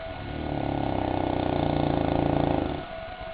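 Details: Sleeping St. Bernard named Goliath gives a long, buzzy, fluttering snore that rises, holds steady for about two seconds and drops away, with a constant faint hum behind.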